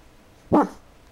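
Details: Kaiser, a pet dog, gives one short, sharp bark in a quiet room before falling silent.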